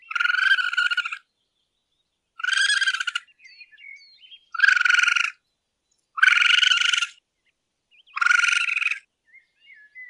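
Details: Raccoon calling at night, its noise likened to twirling cotton candy: five buzzy, pulsed, harmonic-rich bursts, each about half a second to a second long, separated by short pauses, with faint soft chirps in between.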